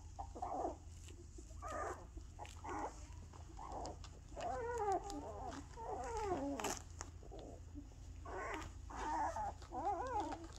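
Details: Bella's two-week-old puppies, just opening their eyes and starting to walk, whimpering in short bursts, then a run of wavering, overlapping squeaky whines, over a steady low hum.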